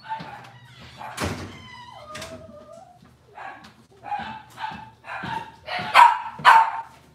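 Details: Cavalier King Charles Spaniel puppies from Robin's litter on a kitchen livestream, giving high whines and yelps, some with sliding tonal whimpers, in irregular bursts about twice a second, with a faint steady low hum beneath.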